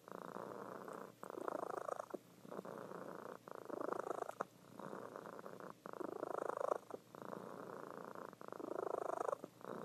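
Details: A pet cat purring in her sleep, female, loud enough to wake her owner; dense vibrating purr in regular breath-paced swells, inhale and exhale phases alternating with tiny gaps.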